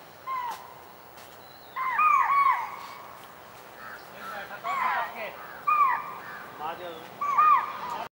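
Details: In Rajaji National Park, India, spotted deer (chital) give sharp, shrill alarm barks, repeated every second or two, to warn other animals of a tiger coming to hunt.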